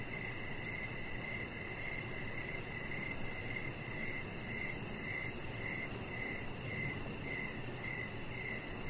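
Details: Crickets chirping outdoors in the evening beside a deck where a chihuahua puppy lies. Short pulsed chirps repeat about twice a second over steady high insect whines and a constant broadband hiss.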